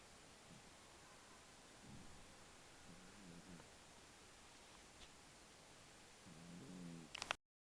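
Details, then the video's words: A domestic cat named Puchini snores indoors. Soft, low, rhythmic breathy rumbles rise and fade in slow cycles, stronger near the start, middle and end, over a faint steady hiss in a quiet room, then a brief click before silence. "Puchini roncando."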